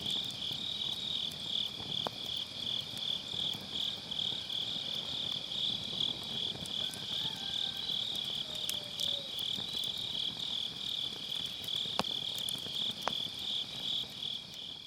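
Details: Autumn-night grass insects recorded with a Sennheiser MKE600 and low cut next to a crackling campfire; dense, continuous high-pitched trilling pulses throughout, with occasional wood snaps and a soft low rumble of fire underneath.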